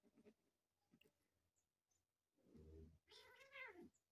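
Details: Pet cats at home; faint scattered clicks and rustles, then a low breathy sound and a single loud, arching meow near the end.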